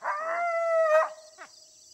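An eastern coyote gives a steady, mid-pitched howl that holds level for a second and then breaks off.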